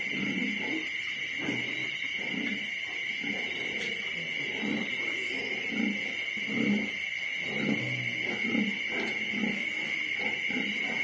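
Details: Litter of 25-day-old piglets on the eve of weaning: short low grunts repeated roughly every second, overlapping from several animals, over a loud steady high-pitched mechanical whine.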